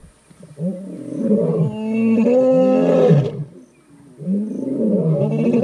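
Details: Two dominant Skorro pride male lions in the Timbavati, South Africa, roar in deep, groaning bouts from a termite mound, advertising their territory to rival males.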